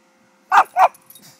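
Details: A four-year-old male Pekingese, freshly shaved for summer, giving two quick sharp barks about a quarter second apart, then a faint short sound.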